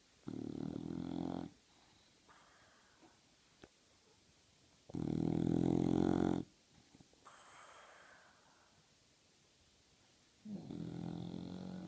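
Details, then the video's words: Two sleeping English Bulldogs snoring with a classic lip ruffle: three long, rasping, buzzy snore bursts of one to one and a half seconds, the middle one loudest, separated by quiet gaps of several seconds with faint breathing between. "2 English bulldogs snoring, with a classic lip ruffle"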